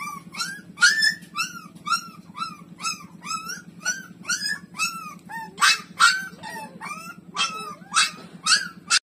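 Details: Loud, insistent yelping whines from nursing street puppy Lulu with its mother: a rapid series of bent, rising-falling cries, several per second, growing harsher and brighter toward the end, over a faint low hum.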